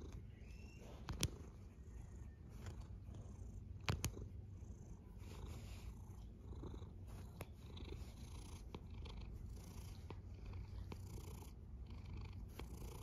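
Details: A domestic cat snoring: a low, steady rumble that carries through the whole stretch, broken by a few soft clicks near the start and the four-second mark, in a quiet room.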